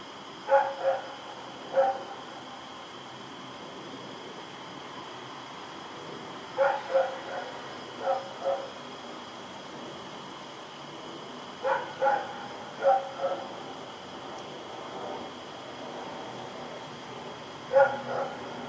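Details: Night recording from October 7, 2018 of Rex, a dog running around and barking; irregular groups of two to four distant barks recur every few seconds, with a continuous high hum in the background.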